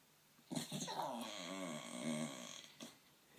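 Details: Lady, a pet Staffordshire Bull Terrier sitting on a lap, makes funny noises at workmen on a field she cannot see: a wavering, moaning grumble with rising and falling tones lasting about two seconds, indoors.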